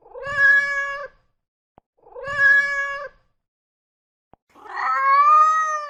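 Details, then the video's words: Mother cat calling for kittens: three long, loud, strongly harmonic meows, the first two steady and level with a rough onset, the third longer and wavering; two faint ticks in the gaps. "Mother cat calling for her kittens sound effect ⭐ mom cat sounds to attract cats"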